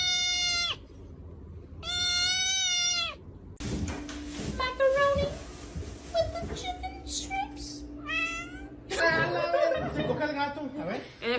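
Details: Pet cat meowing indoors: two drawn-out, clear, harmonic meows, the second longer and slightly falling, then people talking and laughing over background music, with further cat cries mixed in.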